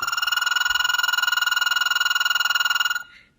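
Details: Male American toad out of hibernation, calling to attract females: one long, steady, high musical trill of very rapid even pulses, about three seconds at unchanging pitch, ending abruptly.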